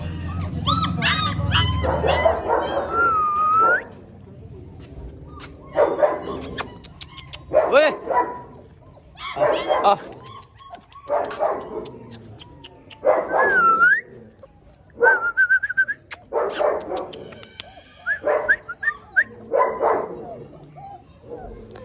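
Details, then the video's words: German Shepherd puppy at a dog kennel in India: bursts of sharp yapping barks, roughly four per second in spurts, mixed with high, thin, curling whines. Human voices talk over parts of it. "German shepherd puppy Dog"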